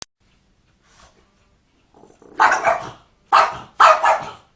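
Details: Dog barking, in an encounter where it ends up scared by a cat; after a faint quiet start come three loud, harsh barks, the last two close together.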